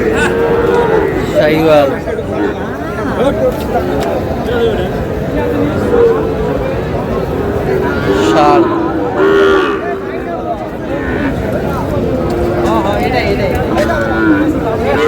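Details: Cattle at a crowded cattle market in Cumilla, Bangladesh, where a farmer buys a Sahiwal bull calf; several low, drawn-out moos rise at intervals over steady crowd chatter and men bargaining over prices.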